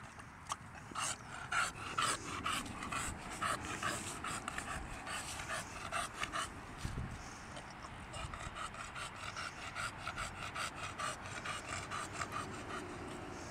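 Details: A young English Bulldog pants heavily at a dog park, with rapid, noisy breaths about twice a second. It is struggling with the heat at 7pm, in the mid-70s°F after a day in the upper 90s.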